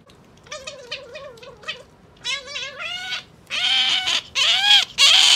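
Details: Pet otter kept indoors giving wavering, high squealing calls in short bursts, building into louder, harsh screeching squeals toward the end.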